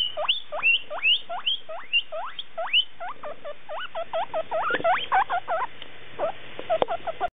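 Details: Young male guinea pig drawn by a female's scent: rising squeaky whistles repeating quickly, then turning into faster, choppy chirps and squeals toward the end, with light clicks and rustling.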